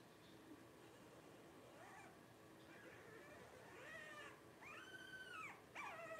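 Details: Twelve-day-old Blenheim Cavalier King Charles Spaniel puppies from a litter of five, born to Paris and Spike at New Year's 2023. Soft squeaks, then high wavering harmonic whimpers rising and falling in the final two seconds.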